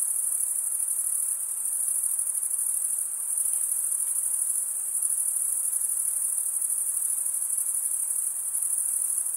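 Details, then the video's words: Continuous high-pitched trill of crickets, the males chirping by scraping wing against serrated wing vein; an unbroken, pulsing shimmer that never drops out, over a soft background hiss. "Most relaxing cricket sound"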